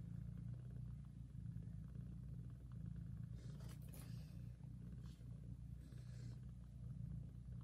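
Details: A nursing mother cat purrs loudly as she licks her newborn kittens: a continuous low rumble rising and falling with her breathing, with short bursts of licking or rustling noise midway.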